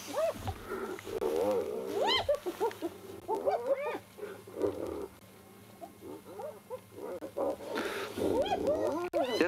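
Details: Two spotted hyenas fighting over a carcass scavenged from a leopard's tree kill at Djuma Private Game Reserve, South Africa, on a sunrise drive, 1 July 2021; bursts of rising-falling giggling whoops and squeals, with a low steady vehicle hum.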